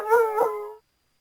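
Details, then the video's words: A North American coyote gives a brief, tonal, howl-like yelp with a slight bend in pitch. "The sound of a Coyote"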